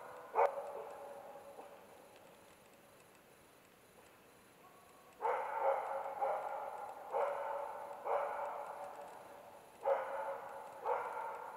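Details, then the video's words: In autumn, a Karelian Bear Dog bays at two young adult bears, giving rough, loud barks in quick runs; the baying lasted about three hours, more than half of it after dark. "Karjalankarhukoira haukkuu karhua. Karelianbeardog barking a bear."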